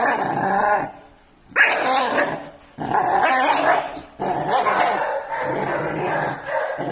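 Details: Angry Pit Bull Terrier puppies, six months old, fighting in a village: a loud snarling burst, a near-silent gap, then a sharp yelp-like bark and renewed rough growling and barking in uneven bursts.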